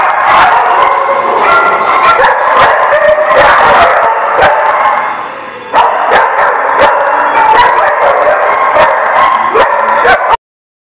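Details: Recorded December 18, 2017. A loud, packed chorus of overlapping dog barks and yips continues, dips briefly near the middle, then resumes before cutting to silence at the end.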